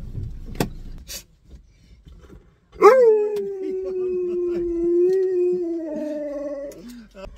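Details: Siberian Husky howling at Christmas while calling on its best friend: after a short quiet stretch with a few faint clicks, one long steady mid-pitched howl lasts about four seconds and dips slightly lower at the end.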